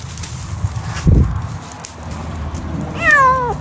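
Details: Domestic cat giving one short, loud meow near the end, falling from a bright start into a lower drawn-out tone, after a quiet stretch with a muffled thump and faint background noise.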